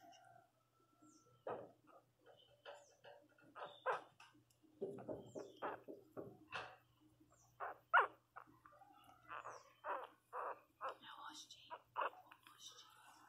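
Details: Lara, a 21-day-old female Miniature Pinscher puppy learning to walk indoors, gives a long run of short, squeaky yelps and whimpers, some in quick bursts, with soft rustling and a faint hum between cries.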